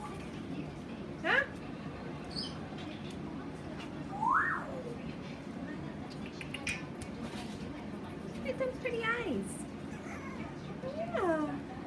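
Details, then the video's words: Peanut the talking Chihuahua gives several brief yowling sweeps, one steeply rising whine around the middle and wobbling, descending warbles toward the end, spaced apart by quiet room tone. "Peanut the amazing talking chihuahua!"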